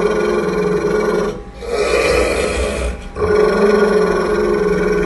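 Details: Angry pit bull growling at its owner around feeding time: a sustained, rough, harmonic rumble broken by two short breathing pauses near one and a half and three seconds.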